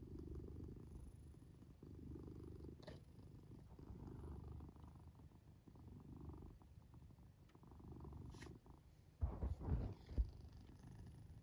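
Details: Low droning purr-snore from a black cat sleeping in its fort, softer rumbling phases alternating with lulls, and a few sharp clicking knocks near the end.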